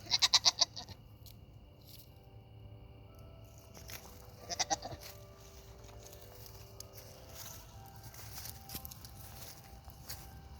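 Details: Hungry Nigerian Dwarf goats bleat in short, quavering bursts, loud at first and then softer.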